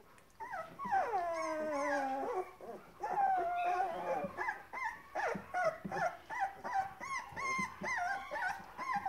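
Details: Hungry Grand Basset Griffon Vendéen puppies of the O-litter, recorded 30 November 2015, whining in high tonal whimpers, first a long falling whine, then short rising-and-falling yelps repeated about every half second.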